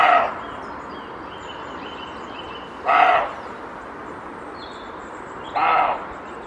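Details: A male roe deer, alerted by a slight noise behind it, gives short, harsh barks, each a rough burst repeated about every three seconds, warning an intruder off its territory.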